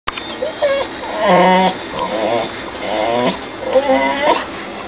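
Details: A female Yorkshire terrier-bulldog mix, excited by cheetahs on television as if to chase them, gives a run of whiny, wavering yowls that rise and fall in pitch.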